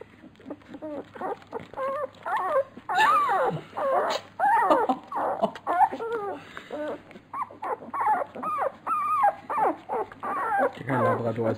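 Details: A litter of Labrador Retriever puppies at feeding, whining loudly in a busy chorus of rising and falling, bent, tonal cries, several voices overlapping, with a constant low hum behind.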